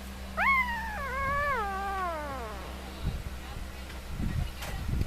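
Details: A three-day-old puppy from Molly's litter, dreaming in its sleep, gives one drawn-out whine that jumps up sharply and then sags slowly downward over two seconds, followed by soft rustling and handling sounds.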